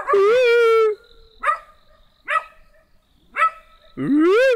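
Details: Small black dog vocalizing: a loud, drawn-out tonal howl opens, followed by three short sharp barks spaced about a second apart, then another rising howl at the end; quiet background otherwise.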